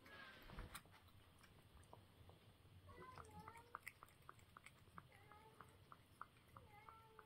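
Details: Cat eating at breakfast time, giving dense crisp crunching clicks throughout, with short tonal notes rising and falling in the second half over a low room hum.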